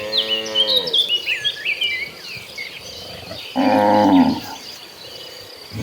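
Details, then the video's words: Lowing cattle in a herd walking to green pasture: a moo fading at the start, a brief forceful bawl midway, and busy chirping of small birds filling the quieter stretches. "Kawanan sapi lembu moo berjalan menuju Padang rumput hijau, suara sapi lembu moo."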